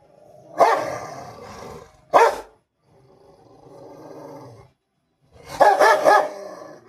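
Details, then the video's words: Pet Rottweiler during a fight indoors: two isolated sharp barks early on, steady growling in between, then a dense, harsh burst of overlapping barks and snarls at the end. "lucky aur Facebook mein fighting"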